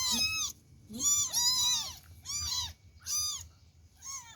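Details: Abandoned kitten meowing before being fed: five loud, high, arched mews with rich harmonics, each about half a second long, repeated roughly every second in quick succession indoors.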